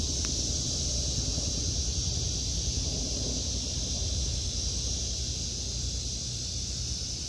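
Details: Cicadas in a vegetable garden in August 2023, a steady high, hissing drone held without a break, with rumbling wind across the microphone underneath.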